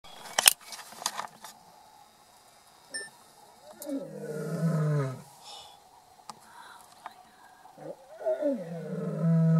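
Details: Lion roaring at Shamwari near Port Elizabeth, South Africa, during a safari: after clicks and faint voices, deep drawn-out roars with falling pitch arrive in two bouts, the second growing louder toward the end.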